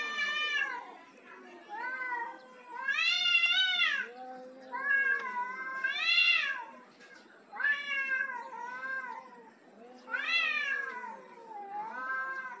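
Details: Male cat trying to dominate a female, giving a series of long, drawn-out wailing meows that rise and fall in pitch, about one every two to three seconds, with strong stacked overtones and short quiet gaps between.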